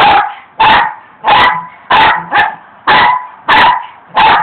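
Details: Pet dog barking while attacking rocks as its owners work in the yard; eight sharp, loud barks spaced roughly half a second apart, with a person urging it on just before.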